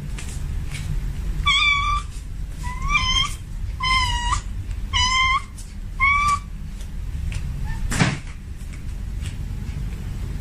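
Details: A male domestic cat in heat calls out to a female with a series of six short, rising-falling meows spaced about a second apart, followed by a sharp knock; constant low background rumble.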